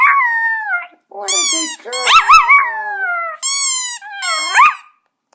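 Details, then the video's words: Poco, a pet Chihuahua, howls in response to a squeaky toy, August 2014: wavering, drawn-out high howls in several long phrases, pitch sliding and quavering, with short breaks between notes. "Poco pet chihuahua still howling to squeaky toy"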